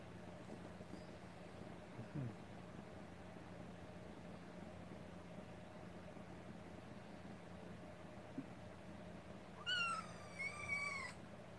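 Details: Rescued kitten meowing indoors; long stretch of low room hum and faint movement, then one drawn-out, slightly falling meow near the end with soft handling noises.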